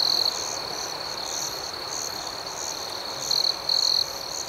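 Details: Night crickets in a shrill, even chorus with wavering upper pulses; a nearer cricket gives a short loud chirp at the opening and two more toward the end.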